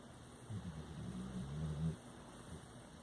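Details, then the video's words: Jackson, a Labrador Retriever, snoring in his sleep, recorded October 30, 2019: a low, droning snore swelling for about a second and a half before fading, over a steady background hum. "Dog Snores in His Sleep"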